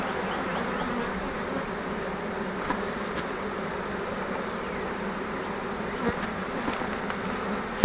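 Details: Swarm of honeybees taken in a custom flowerpot swarm trap and transferred to a Langstroth hive: a continuous low, even droning of countless bees, a few faint ticks, and a sharp knock right at the end.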